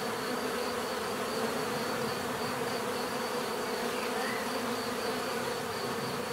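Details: Continuous drone of bees, layered humming tones even in loudness from start to end, with a brief faint rising whistle near the end.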